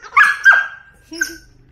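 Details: A six-month-old German Shepherd puppy at home, given a new collar, leash and puzzle toy. Two quick, high yelping barks follow close together, then a softer third sound after a short pause.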